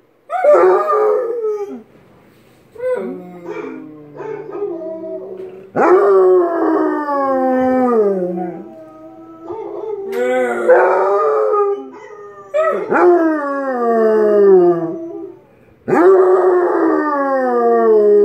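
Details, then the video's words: Tank the Basset Hound in a sustained howling bout: loud, mournful falling howls repeated every few seconds, each starting with a sharp yelp and trailing off into a long wavering tone. "Tank howls"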